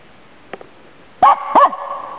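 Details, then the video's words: Finnish Spitz named Nella barking while hunting waterfowl and game birds in Inari, Finland, in autumn 2010; two sharp, echoing barks about a third of a second apart after a faint click, then quiet outdoor background. "Pohjis-Nellan syksyn haukkuja 2010"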